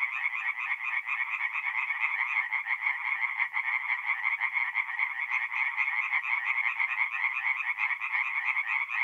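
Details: Night chorus of singing tree frogs at a forest pond in north-east Italy, mid-April. Many frogs call together, their quick rasping notes merging into a continuous pulsing wall of sound that holds steady throughout.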